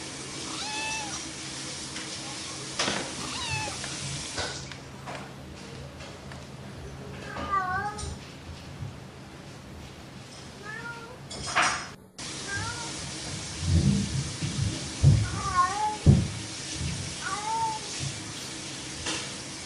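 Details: Playful domestic cat meowing repeatedly, about a dozen short harmonic meows that rise then fall, some in quick pairs, with a brief gap near the middle and low thumping knocks later on.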